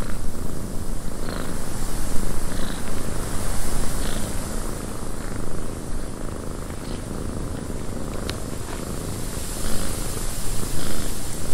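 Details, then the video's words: Cat purring inside a windy cabin, a continuous deep rumble with slight swells in loudness, overlaid by airy wind noise and a few faint, brief higher ticks. "Cat Purring in a Windy Cabin 8 Hours of Blissful Purring"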